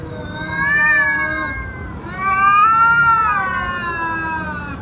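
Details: Domestic cat giving two drawn-out meows, the first about 1.5 seconds long and the second, louder one about 2 seconds, each with a rising then falling tone over a quiet background hum.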